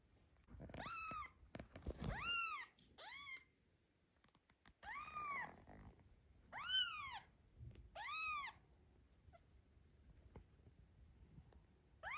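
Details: Domestic cat Zlata, a new mother, guarding her newborn kitten from cats Joanna and Ginger during an afternoon walk; about seven high, arched meows with rich overtones, given in quick bursts with short silent gaps.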